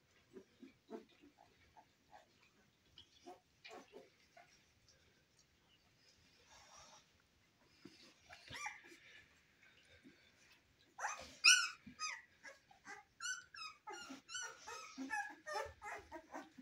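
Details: Cane Corso puppies in their first weeks of life: quiet at first, then a burst of high, thin squeaks and whines in the second half, several overlapping in quick, uneven succession.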